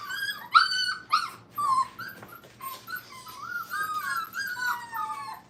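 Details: Brittany puppies, five weeks old, learning crate training at a kennel: a few sharp whimpers open, then a long wavering whine slides along steadily, with several pups crying over one another indoors.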